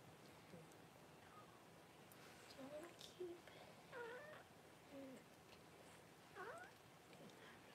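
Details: Newborn Cavalier King Charles Spaniel puppies, first of Paris's litter, during whelping on January 1: thin, high squealing cries rising and falling in short wavering bursts, several in a row, over a quiet room hiss.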